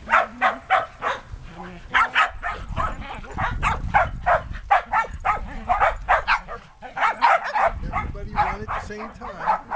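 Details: Shetland Sheepdogs, six 8.5-week-old puppies with adult dogs, romping outdoors in a yard after many cold, wet days. Sharp, high barks fire in rapid runs, several dogs overlapping with barely a pause, over a low rumbling background.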